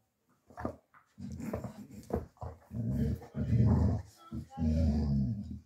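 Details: Male Dogo Argentino mix puppy, born August 2023, fostered in Osnabrück, Germany: a series of low, throaty growls in short bursts, rising and falling, mixed with a person's speech in a small room.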